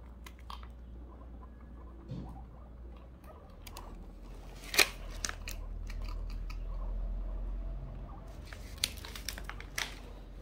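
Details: Guinea pig eating cookies indoors, crunchy irregular chewing and biting clicks with scattered sharp crinkles, a louder crunch near the middle, over a low steady room hum.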